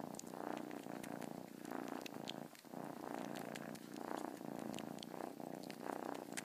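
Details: A pet cat purrs in a rhythmic, rumbling drone, each inhale and exhale swelling in turn about once a second, with a short break midway and light ticking noises over the top.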